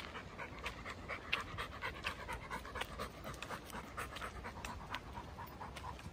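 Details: Chocolate Labrador walking through Goltho Wood, breathing in rapid, rhythmic pants of roughly two per second, each a soft breathy huff, over a steady low background hiss.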